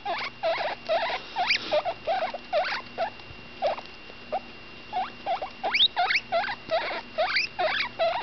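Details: Baby guinea pig, a female about ten days old, squeaking while eating: rapid high rising squeaks and chirps in uneven bursts, roughly three per second, with faint steady electrical hum beneath.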